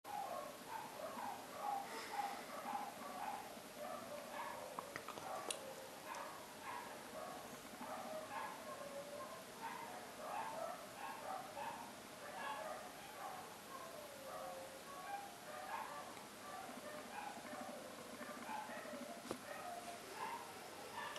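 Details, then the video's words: Several dogs barking together in a dense, overlapping chorus: short, sharp barks of mixed pitch follow one another rapidly and without pause for about twenty seconds, with a steady background hiss. "Dogs Barking"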